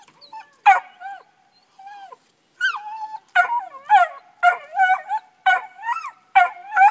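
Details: Young tree dogs Dusty and Honey barking up a tree: a few scattered yelps open, then loud, bawling bays with rising and falling tails come in a steady run.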